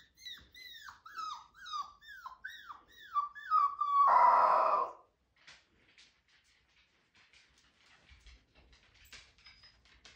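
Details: Young husky pup, five weeks old, attempting a howl: eight or so falling, yelping whine notes in quick succession, then a sudden loud, rough burst, followed by near silence with faint clicks and rustles.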